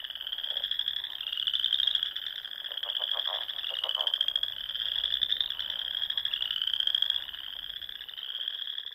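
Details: Many frogs calling together at dusk in spring on a Sandhills pond in Nebraska; high, unbroken trilling fills the air while a nearer frog gives short runs of rapid, lower croaking pulses.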